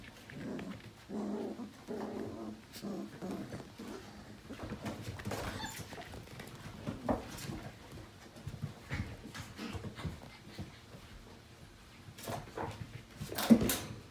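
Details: Five-week-old Portuguese Water Dog puppies from one litter at morning play indoors: rough low growls and short whimpering yips in bursts, with scuffling, thumps and paws moving around a small room.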